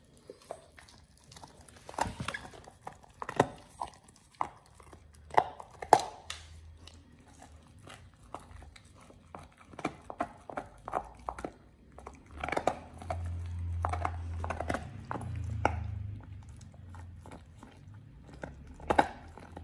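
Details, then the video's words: Pit Bull Oliang chews and crunches a raw ostrich paw at his first try. Scattered cracking bites and gnawing sounds mix with a low steady rumble in the background, which swells in the middle of the recording. "Oliang the Pit Bull 1st time eats Raw Ostrich PAW [ASMR] BARF | MUKBANG 動物の咀嚼音 | 犬が生の肉を食べる"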